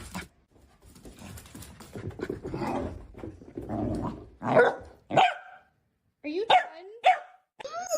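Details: Dog giving a quick run of sharp, yelping barks with whiny, rising and falling tones over the last few seconds, after soft human voices and indoor noise at the start.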